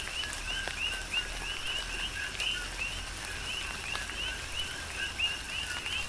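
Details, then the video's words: Coqui frogs chorusing through a tropical rain shower on the Big Island of Hawaii: short upward-sliding chirps repeat quickly from several frogs, half-buried under even rain noise and occasional louder drips. "Tropical Rain & Coqui"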